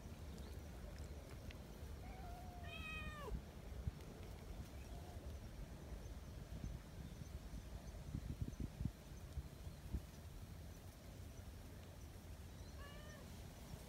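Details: Community cats gathering in the mountains in Japan: a drawn-out descending meow near three seconds, a brief mew later and a short rising call near the end, over constant low rumble and scattered thumps.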